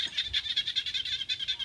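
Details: Frogs at an orchard home call loudly to each other, throats puffing, in a high, buzzy, rapidly pulsed call of about seven pulses each second.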